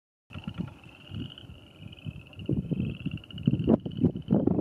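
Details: Western chorus frogs at the Paint Mines near Calhan, Colorado, on 27 April 2019: a steady band of pulsed, trilling calls from many frogs, high in pitch, under loud low rumbling wind or vehicle noise.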